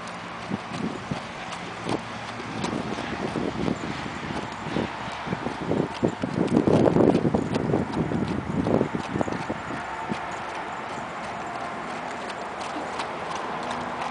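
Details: Arabian horse worked in a figure eight, its hooves making quick, uneven thuds and clip-clops that swell to a louder cluster near the middle, set against a steady broadband background hiss.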